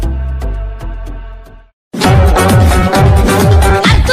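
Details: Electronic dance music with a pounding bass beat breaks off for a brief silence, then resumes loudly, with no animal sounds.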